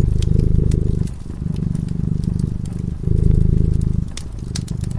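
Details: Slumbering cat at a cozy fireside purrs in a low, vibrating rumble with two swelling breaths, accompanied by bright pops and crackling of the fire.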